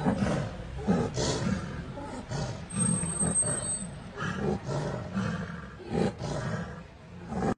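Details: Two Bengal tigers battling for dominance at Ranthambore National Park give harsh, deep fighting roars and snarls.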